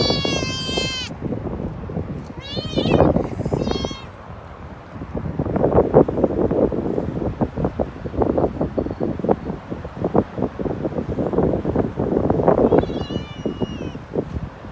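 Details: Street kitten with its mother: a cluster of thin, rich-toned meows at the start, then street noise and murmuring voices, with another short meow near the end.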